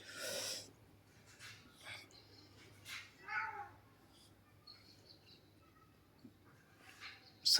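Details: Pet cat that wants a massage after fighting or playing. It gives a short, arching meow-like cry among soft rustles and sniffing bursts, with a person speaking Marathi close by.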